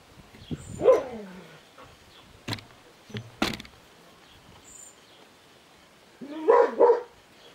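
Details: Puppies born on 20 March 2017 give a short, high yelping bark, then a quiet gap with a few soft clicks and taps, and a second double yelp near the end; the background is otherwise quiet.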